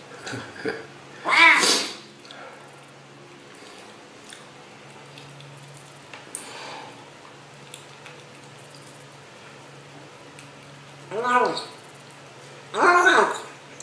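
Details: Eating cat or kitten vocalising mid-meal, its noises compared to "yum yum yum"; a loud arched meow early, a faint sound near the middle, then two more harmonic meows close together at the end amid quiet room noise.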